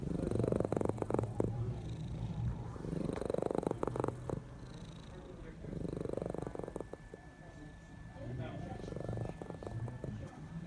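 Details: Cat asleep and snoring, a low rattling purr rising and falling with each breath about every three seconds; a thin steady tone enters midway, and faint voices sit in the background.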